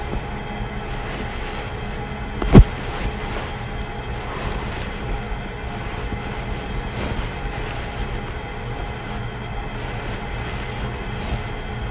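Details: Steady low rumbling, train-like mechanical noise with one sharp click near the start; no animal sounds.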